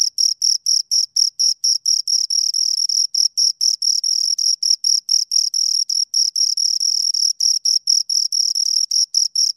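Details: Two crickets chirping close up: a steady, high-pitched pulsed trill, dense chirps of about four per second overlapping with slight irregular gaps, clean and strong with no other sounds.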